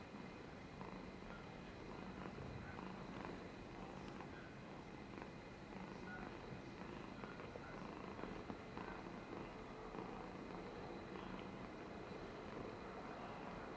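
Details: Domestic cat named Polychromatic Amber purring while dribbling, recorded 13 July 2022; a steady, low, rumbling purr runs unbroken through the whole stretch with soft breathy texture and faint background hiss.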